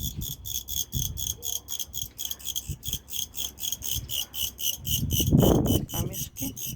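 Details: Crickets in a jewelry shop in Beijing on a Friday evening: loud, steady, high pulsed chirping, about three bursts each second, running throughout, with a person's voice and a low thump breaking in near the end.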